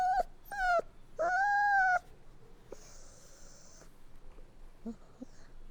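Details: Puppies whining, with two short high whimpers, then a longer nasal whine arching up and down, followed by a quieter stretch with a faint hiss and soft, brief whimpers.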